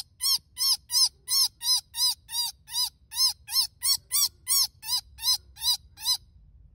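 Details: Baby rabbit screaming after dogs attacked it and its sibling in a fenced backyard, then picked up and rescued: a fast series of about sixteen shrill, arched, harmonic-rich cries, each short and evenly spaced, nearly three per second, with no other clear sounds.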